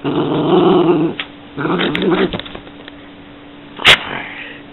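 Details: Yorkshire Terrier growling: a sustained rumbling growl for a second, a pause, a shorter growl with snapping edges, then a single sharp yip.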